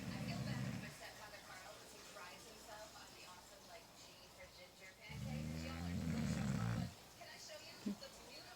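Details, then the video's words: A male English Bulldog snores in deep, rumbling bursts, with long quiet pauses between breaths. "Pablo English Bulldog snoring"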